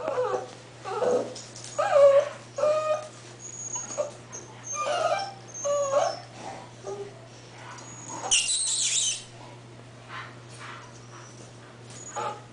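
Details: Whining English Bull Terrier puppies at eight weeks give short nasal whimpers every second or so, some high thin squeals, and a brief hissing rustle near the middle, with a steady low hum throughout.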